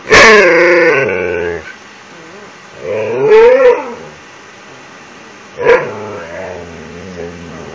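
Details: Siberian Husky named Ranger begging for an empty toilet paper roll in his nightly routine: loud, strained, wavering whines and whimpers with rich harmonics, three bursts roughly every two to three seconds, quieter moaning between them.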